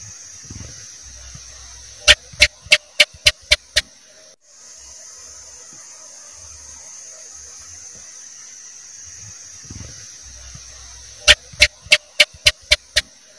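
A house gecko gives two bursts of sharp, rapid clicking chirps over a steady background hiss.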